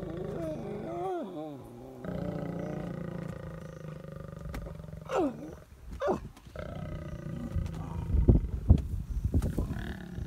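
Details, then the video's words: A mating pair of lions in long grass at Klein's Camp in Tanzania, April 2019; deep growling with a rising and falling wavering snarl near the start, sharp snarls midway, then rough rumbling with scattered clicks. "MATING LIONS: Two lions mate in long grass"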